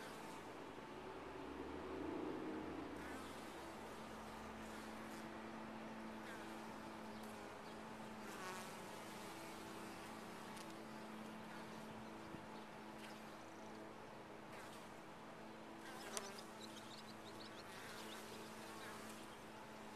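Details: Colony of honey bees inside a top-bar hive: continuous droning hum with steady low tonal lines, a louder swell near the start and occasional sharp knocks.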